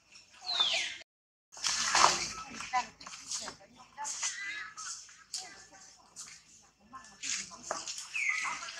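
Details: Crying tantrum from baby monkey Tobais as mother Toma handles it roughly: high, harsh screeching cries in uneven bursts, one brief silence near the start, with splashing or shuffling noises mixed in.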